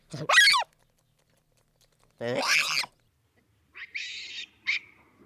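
A baboon gives harsh, shrill calls that rise and fall, followed by short raspy bursts.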